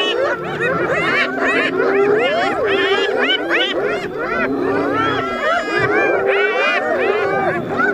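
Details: Spotted hyenas squabble with a lion over food, a dense chorus of overlapping arched, wavering calls rising and falling without pause, several animals crying at once over a faint low rumble.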